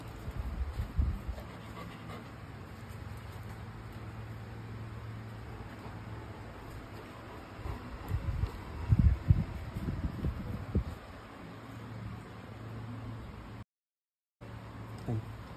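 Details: A Golden Retriever eats a boneless chicken-wing dog treat, chewing and smacking noisily with soft wet crunches and bursts of louder gnawing.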